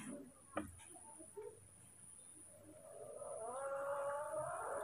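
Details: A baby monkey, Moni or Mino, frightened by a new cameraman while being fed rice: after a few soft knocks, a long harmonic wailing squeal slowly rises and swells over the last two seconds.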